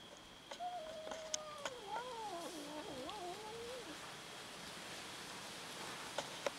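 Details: Domestic cats fighting over food: a drawn-out, wobbling yowl that dips and rises repeatedly for about three seconds, sounding tense and growly, with scattered sharp knocks and clicks around it and a faint steady high whine.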